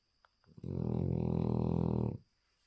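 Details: Small male French Bulldog snoring loudly indoors, one long, deep, rattling buzzy snore lasting about one and a half seconds, then quiet.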